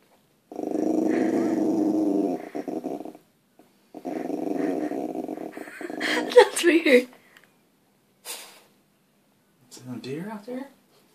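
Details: Puppy growling while trying to scare deer outside: two long stretches of low, rumbling, pulsing growl, then scuffling noises and a person's voice urging it on.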